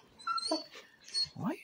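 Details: A Basset Hound, one of several in a household, gives high, thin screeching whines while greeting its owner, who is talking nearby and says it is not a usual basset noise.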